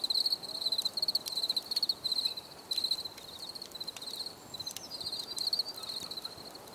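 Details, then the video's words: Crickets chirp in short pulsed bursts roughly every half second, a high steady trill that fades and returns, with scattered faint clicks behind it. "Bruit de Grillons"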